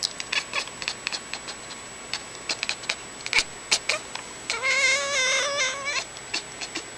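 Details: Pet cat playing with a laser pointer at home lets out one long, wavering, strained meow lasting over a second near the end, after a run of short clicks and tapping sounds.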